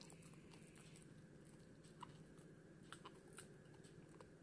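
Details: A female Pomeranian called Hana gnaws a chewy gum indoors. Quiet, irregular bites and crunchy ticks sit over a constant low-pitched room hum; two slightly louder crunches stand out.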